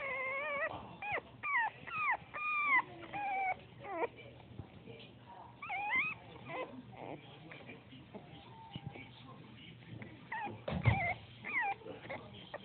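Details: A male Bull Terrier whimpers repeatedly, each cry a thin, bending whine that swoops up and down, broken by brief sharp yelps, with a faint low hum underneath.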